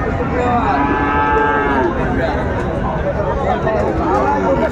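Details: Friesian and crossbred bull calves at Ambari cattle market in Dinajpur, 19 April 2024, heard through steady crowd chatter as several overlapping, drawn-out harmonic moos rise and fall across the recording.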